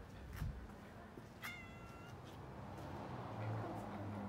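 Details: A female cat met on a walk while trying to get down from a tree gives one short, tonal meow with clear harmonics midway through, over low rumbling background noise, a sharp knock just before, and nearby people talking.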